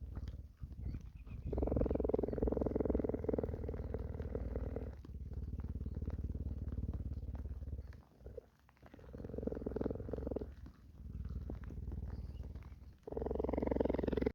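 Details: Rain-soaked cheetah in a sanctuary purring as it licks and grooms; deep, pulsing purrs run in steady stretches lasting several seconds, with short quiet pauses between them.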